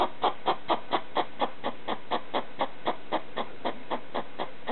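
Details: ['Pet hedgehog barking at a slipper in the night: evenly spaced, hoarse, clucking pulses, a little over two per second, in a steady rhythmic series.']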